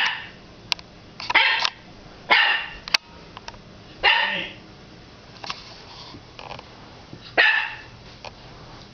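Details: Puppy Axel, 9 weeks old, barking indoors at his reflection in the fireplace glass: five or six short, harsh barks at irregular intervals, with small clicks and scuffles between them.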